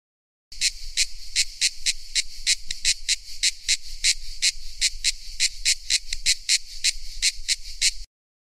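Cicada song: a rapid, harsh buzzing pulsed about three times a second, steady throughout, over a faint low rumble.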